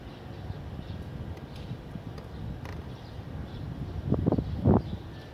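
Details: House dog in Vientiane, Laos, on a sunny afternoon with little clouds, 15 April 2021: after quiet background hum, three short, low, rough barks come close together near the end.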